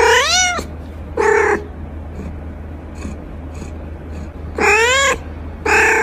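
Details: Playing kittens give loud, drawn-out meows that rise and fall in pitch, two pairs of calls about four seconds apart with quieter faint mews between them over a steady low hum.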